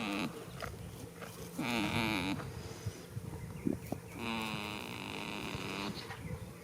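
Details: Goat snoring while sleeping in a field on the first day of spring: drawn-out nasal, wavering tones of one to two seconds, separated by short quiet breaths, with a soft rustling background.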